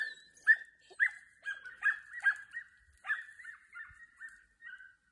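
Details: Young Podenco dogs in training give a string of high, thin yips and whines, about two each second, held on a similar pitch and fading toward the end.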